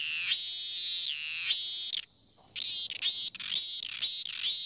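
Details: Wild cicada in Thailand, recorded from a distance, that keeps singing after each flight and resumes as soon as it lands: loud, harsh, high buzzing in bursts of about one second, separated by short gaps, with a longer silence midway.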